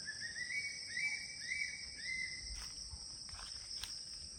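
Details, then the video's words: Crickets calling all around at ten in the morning at the CRP guest house in Kulaura, Moulvibazar, Bangladesh: a steady high shrill hum underlies repeated short rising chirps, each about half a second apart. "اللہ চারোদিকে শুধু ঝিঝি পোকা ডাকছে কিন্তু এখন সকাল দশটা"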